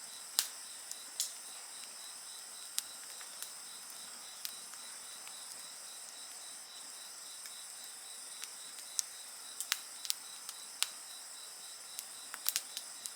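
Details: Insects singing beside a bonfire: a steady, pulsed high chirping with a fainter shrill hiss above it runs without pause, while sharp crackles and pops from the burning fire break in irregularly throughout.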